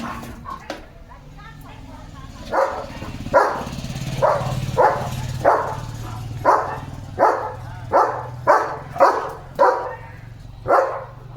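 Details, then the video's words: German Shepherd Leo on guard duty, barking at a sheep herd passing the gate outdoors; a regular series of short, sharp barks about every half-second to second over a steady low background rumble. "Leo vs Sheep Herd! 🐑 German Shepherd Guard Mode ON"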